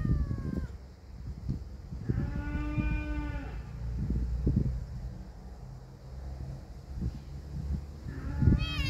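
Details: Brave kitten and a cat: a short falling kitten meow opens, a low sustained yowl follows, and a thin rising squeal closes, with frequent thuds and scuffling throughout.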